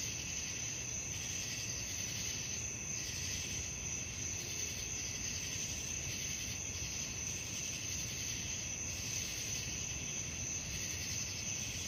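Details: Crickets at night: a steady, shrill high-pitched trill held without a break, with a pulsing, rasping layer above it that swells and fades every second or so, over a constant low rumble of background noise.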